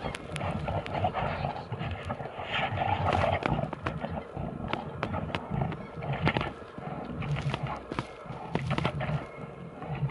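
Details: Brown bears fight to the death, with deep rumbling growls and harsh roars over a steady low, noisy background.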